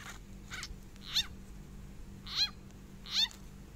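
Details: Small frog crying out while being eaten by a snake, in Thailand, the cry called 'aeb aeb': sharp descending harmonic squeals near 1–4k, three loud ones about a second apart after fainter earlier cries, over a steady low hum.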